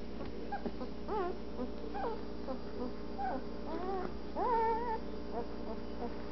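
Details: Twelve-day-old Anatolian Shepherd Dog puppies from a litter born 17 March 2012, eyes just opening as they explore their whelping box, give a string of thin whimpers and arching squeals, some sustained and wavering, over a steady low hum.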